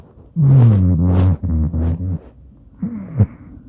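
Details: Indoor smartphone recording of a Maine Coon called Madoka snoring in its sleep next to a person: a low, wavering drone broken into three rasping pulses with breathy hiss, then a quieter sniffling inhale and a faint snort.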